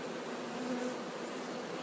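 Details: Honey bee swarm being moved: a steady, low, droning hum with faint tonal bands, even in loudness throughout the short stretch and with no other clear sounds.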